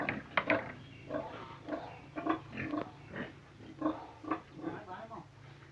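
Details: Pig making soft, nasal grunts in quick irregular groups, some slightly drawn out, over a low steady hum, with a human voice mixed in.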